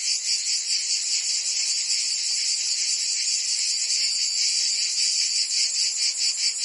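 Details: Summer chorus of cicadas in Provence, France, a continuous shrill buzzing with softer, less even pulsing running through it.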